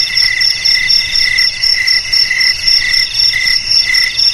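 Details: Shrill, rhythmic cricket chirping, with short pulsed bursts about two per second stacked in high and higher tones. Several insects sound together, and there are no other clear noises.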